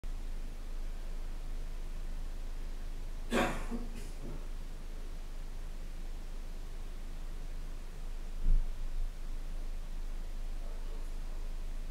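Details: Low background hum with a brief rustle and a soft thump, and no animal voice.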